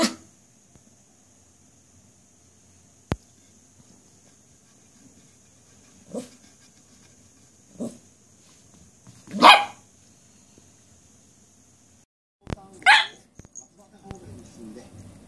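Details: Puppies barking: a handful of short, sharp barks spaced irregularly a second or more apart, growing louder toward the middle, over a quiet background with a faint steady high-pitched tone for most of the stretch.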